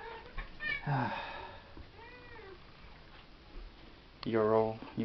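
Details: Pet cat Chevy meows indoors: a rising-falling mew near the start, a soft arched call mid-way, then a long loud harmonic meow at the end, with a person speaking in between.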